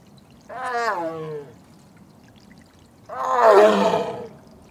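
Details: A female Korean tiger in heat, kept apart from her brother, calls to him: two drawn-out moaning calls sliding downward in pitch, about two seconds apart, the second louder and rougher.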